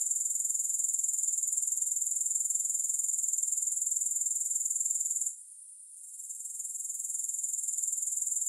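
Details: Unbroken high shrill grasshopper chorus, no music, pulsing rapidly and evenly. The sound cuts out abruptly for under a second before gradually rising again to its full steady hiss-like trill.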